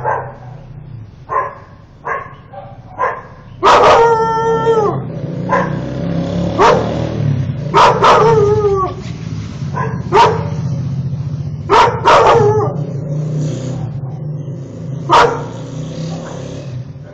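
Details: Akita Inu with a shaved coat, angry at a car parked in front of the house, mixing sharp barks with short wavering howls that rise and fall, several howls sliding downward at their ends, in an irregular, agitated rhythm.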